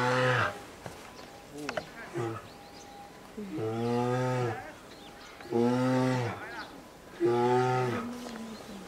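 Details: Lila, a two-year-old female polar bear at Maruyama Zoo, Sapporo, Hokkaido, begs her 22-year-old mother Lara to nurse on 19 January 2017. Loud, low, harmonic moaning cries come in drawn-out bursts, repeated roughly every two seconds.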